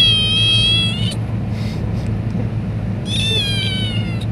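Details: Pelusita, a pet cat, gives two drawn-out, high harmonic meows, one at the start and a longer one after a short pause, over a steady low indoor hum.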